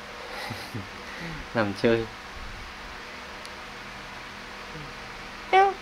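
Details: Kittens playing and feeding indoors: brief meows, two in quick succession early on and a louder one near the end, with people talking softly throughout.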